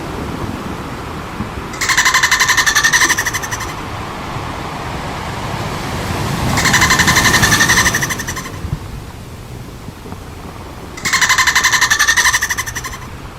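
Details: Three bursts of rapid pulsed chatter from dolphins at play, each around two seconds of buzzy, evenly spaced clicks with tonal bands, spaced by stretches of low rumbling water noise.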